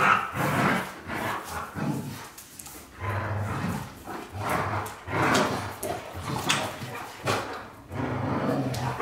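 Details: Two white Golden Retrievers, James Bond and Luna, vocalise in deep, uneven growling pulses with short gaps, interspersed with softer whimper-like tones.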